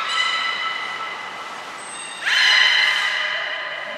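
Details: Aquarium belugas Hodoi, Gray, Nana and Nico training at Port of Nagoya Public Aquarium, June 5, 2021; a steady buzzy harmonic tone is followed by a louder, rising nasal squeal with rich overtones.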